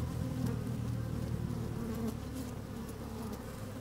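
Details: Honey bees at work in an opened hive, microphone down among them on a fine sunny day: thick low buzzing drone with rapid fluttering texture and faint ticks.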